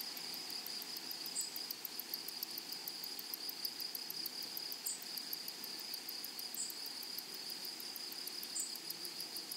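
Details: Meadow grasshoppers sing a continuous shrill, sizzling drone from flowery prairie grass, with brief higher ticks recurring about every two seconds above the steady hiss.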